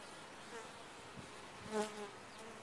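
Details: Short burst from a top-bar hive of bees: soft background hum, then one bee's close, tonal buzz swelling and fading just before two seconds.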